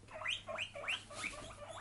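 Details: Pet guinea pig giving a run of high rising squeaks, about four quick upswept notes in under two seconds, each climbing sharply, with a faint steady hum beneath.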